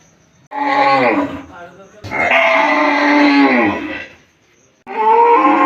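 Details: Cow lowing in a village. A short moo gives way to a long, strong bellow holding steady before falling off, then a third moo begins after a quiet gap.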